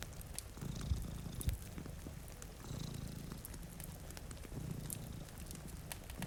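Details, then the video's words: Two cats sleeping in front of a rainy window beside a cozy fire, purring in deep, low rumbling pulses that swell and fade about every second and a half, with sharp fireplace crackles and soft rain patter over them. "Purring Cat"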